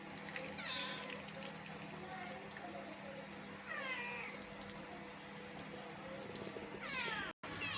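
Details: Hungry cat waiting to be fed: three separate falling meows spread over about eight seconds over steady background hum, with a woman's voice nearby.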